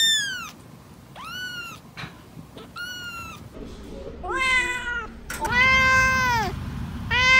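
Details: Cats meowing: short high kitten mews, then deeper, longer, strongly harmonic meows that swell and fade, over steady low background hiss.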